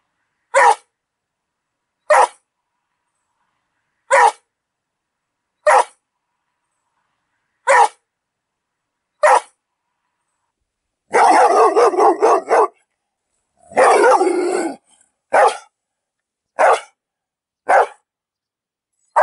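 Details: Dog giving short single barks spaced about one and a half to two seconds apart, interrupted midway by two longer, louder, noisy bursts before the single barks resume.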